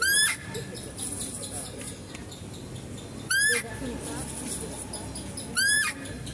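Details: Female deer in a zoo enclosure, heard during feeding of a male deer: three loud, shrill, upward-sweeping squeals roughly every two to three seconds, with steady background noise between them.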